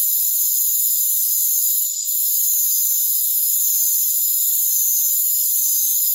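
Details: Rainforest crickets form a dense, unbroken high-pitched trilling chorus of layered steady tones, briefly dipping in volume near the two-second mark, then steady again, with no other clear sounds.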